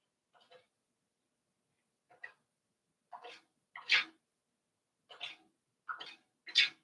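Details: Five-week-old Cavalier King Charles Spaniel puppies in their indoor puppy pen, heard through a series of short, noisy, sneeze-like bursts spaced about a second apart, growing louder toward the end, in an otherwise quiet room.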